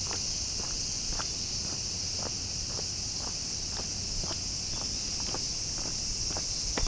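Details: Bear cicada calling in hot summer weather partway through summer vacation. A sustained, sizzling, high buzz continues throughout, with regular light taps and crackles like footsteps.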